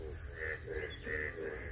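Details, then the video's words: Frogs on a farm call after a heavy storm and fresh rain, celebrating the new water that filled small ponds during hot weather, with a quick run of hoarse, nasal croaks about three per second. "এই যে নতুন পানি পেয়ে ব্যাঙ ডাকতেছে হয়তোবা ক্যামেরা শুনতে পাচ্ছেন তো"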